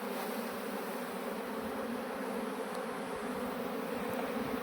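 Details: Honey bee swarm that had left its colony, being moved by a beekeeper into a modern hive; a dense, steady droning hum of many bees holds even and unbroken throughout, with no other clear sounds.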